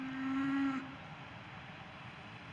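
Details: Cow giving a single short moo under a second long, a steady low droning tone rich in overtones that cuts off abruptly, followed by a constant low background hum.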